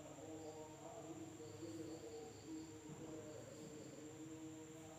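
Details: Insects calling at night in a village in Indonesia: a steady, unbroken high-pitched trill runs through the whole stretch, layered over lower wavering tonal droning and faint background rumble.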